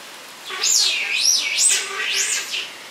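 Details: Shrill, looping wails from the captive giant otter family at Chestnut Centre, Chapel-en-le-Frith, six animals including two cubs born there, recorded 25 June 2011; three or four high sweeping cries run together over about two seconds.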